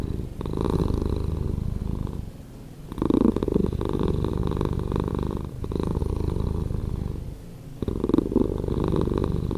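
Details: Slowed-down purring of a domestic cat, a deep continuous rumble rising and falling in alternating breath phases, each lasting around two to three seconds, with short quieter dips between them.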